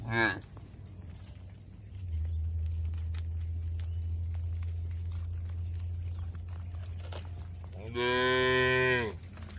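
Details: Cattle grazing on fresh grass inside a green oil palm plantation in Indonesia; a brief low at the start and one clear sustained moo near the end, with a continuous low mechanical hum between.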